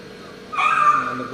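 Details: Labrador Retriever puppy crying from fear of an injection during vaccination: after half a second of quiet room hum, a sudden high, steady, nasal whine holds for under a second, then fades.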